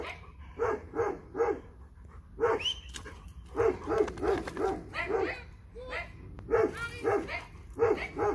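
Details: Dog, from a Dobermann and Boxer pair, eager to play with a ball, giving rapid bursts of barks in quick clusters of two to four, almost continuous, with a person speaking in between.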